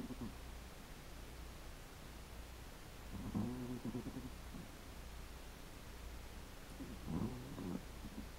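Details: Chihuahua asleep, giving two soft, rough, low snoring breaths about four seconds apart over a constant faint electrical hum.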